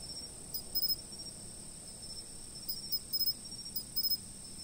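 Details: A high, even insect trill rings without pause, calm sleep-aid ambience, while three short bursts of quick stuttering chirps rise above it, one early and two close together later in the recording; nothing else clearly audible.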